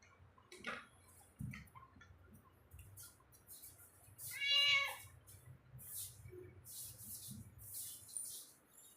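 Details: A domestic cat roaming inside a home gives a single short meow midway, with faint rustling and light clattering household sounds around it.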